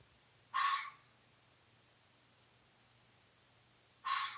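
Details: Fox giving two short, harsh, raspy calls about three and a half seconds apart, each lasting under half a second, over a quiet background with a faint low hum.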